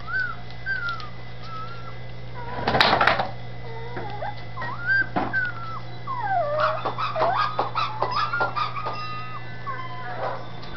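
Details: Dachshund puppies settled in a new little house in Campinas, São Paulo: drawn-out whines and quick yelps that swoop up and down, a loud clatter near three seconds, then a busy burst of overlapping cries above a constant low hum.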